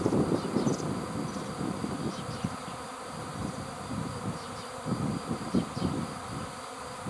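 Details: Swarm of bees: a dense, continuous low humming drone with rough fluctuating texture and scattered louder surges, no other clear sounds.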